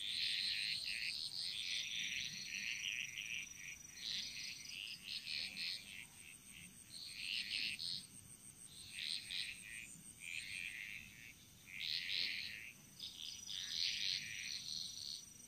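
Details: Frogs chorusing in the jungles of Bali, many callers giving rapid clustered croaking bursts that swell and pause irregularly over a constant high-pitched background drone.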